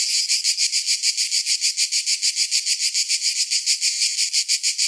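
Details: Summertime cicadas produce a piercing, rasping whine that pulses evenly at a little over three beats per second. The throbbing buzz holds steady from start to finish, alone.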